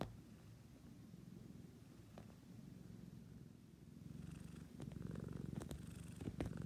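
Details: A house cat purrs continuously in a deep, fast-pulsing drone that swells louder in the second half, with light rustling and small clicks over the top.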